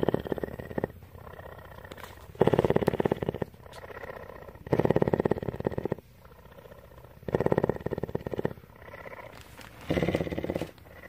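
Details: Purring cougar, a captive female living at an animal rescue in Bridgeport, Texas: steady vibrating purr rising into loud, coarse bursts roughly every two to three seconds, separated by gentler in-between purring.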